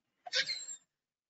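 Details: Killer whale (Orcinus orca), pulsed call.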